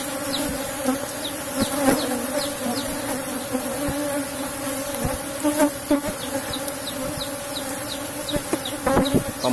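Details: Asian honey bees (Apis cerana) of a strong colony in a box hive, buzzing steadily as honey is harvested; a low droning hum with bright overtones, broken by knocks and clicks from handling the hive.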